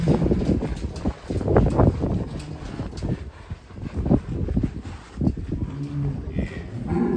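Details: Cattle carrying a child rider, with a short, flat, low moo near the end, after bursts of nearby talking and shuffling noise.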